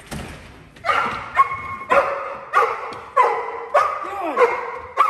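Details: Cane Corso barking steadily as criminal containment in a home invasion protection training drill; loud, rough barks come in a regular series about every half second, some ending in a sliding whine.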